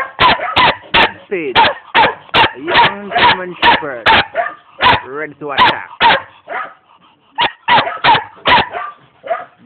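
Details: Steady volley of barks from a young German Shepherd in Jamaica, about two to three a second, with a person's voice speaking over the middle and a short lull before the barking resumes.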